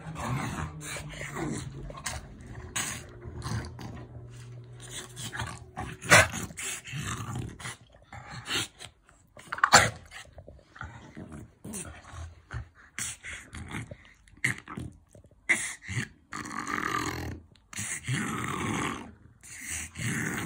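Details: Playful French Bulldog in affectionate roughhousing, a steady low growl in the opening seconds, then broken growls and snorts punctuated by sharp knocks and scuffling noises.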